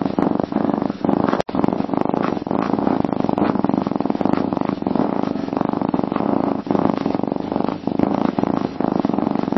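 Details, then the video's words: A cat purrs steadily, a sign of well-being and self-soothing, producing a deep fluttering hum in repeated breath-length swells, with one short dropout near the start. "Katzen-Schnurren: Der perfekte Sound für Ruhe !"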